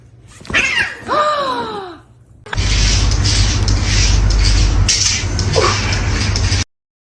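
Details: Domestic cat meowing while its food bowl sits empty: two or three short, falling, harmonic meows within the first two seconds, then a long burst of loud broadband noise with music until the end.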